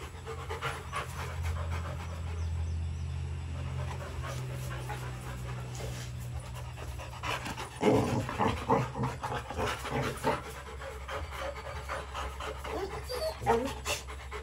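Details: Two Rottweiler puppies, Bruno and Dora, kept in a kennel, panting in rapid rough puffs that grow louder and burstier in the second half, against a constant low droning hum.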